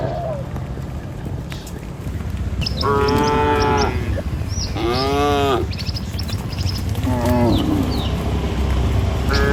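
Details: Herd of tame cattle crossing a river bridge toward a village in the morning on the way to feed; three clear moos, the first long and wavering, over constant low-pitched background noise.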